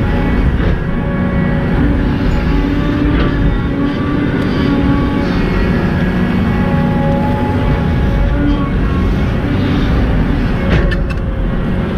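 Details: Steady heavy engine drone from an excavator working outdoors, with droning tonal hum and no clear animal call.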